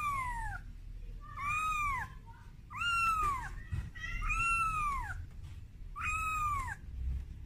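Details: Kitten, taken out of its room for the first time, crying for its mother: five to six drawn-out, downward-curving meows roughly every one and a half seconds, with some low thumps and room noise.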